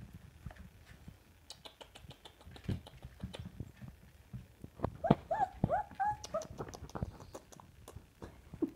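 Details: Samoyed puppies indoors: a quick burst of four or five short, high, squeaky yelps midway, slightly rising then falling, over steady pattering and clicking of paws on the floor.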